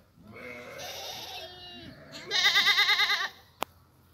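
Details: Plump goat bleating: a long, faintly wavering cry first, then a louder, strongly quavering bleat of about a second with rapid regular tremolo, ending with a single sharp click.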